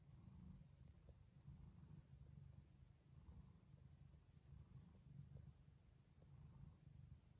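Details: Jaco, a house cat, purrs while giving birth at home to a litter of differently colored kittens. The purr is deep, steady and rhythmic, pulsing roughly twice a second, with little else audible.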